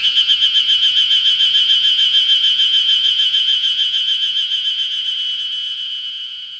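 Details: Ezo harusemi cicadas singing everywhere on Mount Ryozen, Date, Fukushima, Japan, on 20 June 2021 as early summer arrives: a steady, rapidly pulsing, buzzy drone at constant pitch that slowly fades toward the end.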